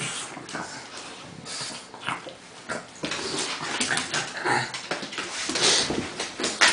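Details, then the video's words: A Pug named Lucy and a Bernese Mountain Dog named Crystal play-wrestling indoors: scuffling, panting and short breathy growls and whimpers in irregular bursts, with broadband rustling throughout. "Lucy and Crystal Wrestling"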